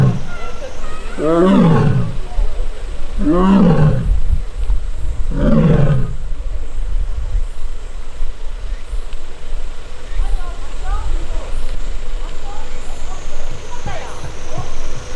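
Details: Young Korean tiger in an arboretum tiger forest, recorded August 1, crying and grumbling in annoyance after missing its sibling; three loud, downward-sweeping moaning roars about two seconds apart, then quieter softer calls with a constant low hum.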